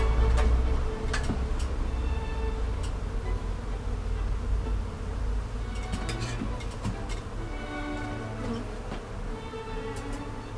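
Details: Swarm of bees gathered on a glass roof in central Toulouse, France, where the caller had first suspected hornets; a dense, steady low buzzing hum with faint tonal bands, broken by scattered sharp clicks over a constant low rumble.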